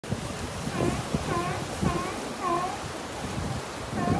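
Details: Sea lions arguing, giving a series of hoarse, arching, harmonic barks that recur roughly every half second to second, with a steady wash of surf and waves underneath.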